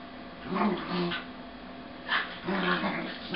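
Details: Two corgis wrestling in play, a red-and-white male making the noise and a sable female biting and often on top, slowed to half speed: deep harmonic growling grumbles in two bursts, each about a second long, with soft scuffling between.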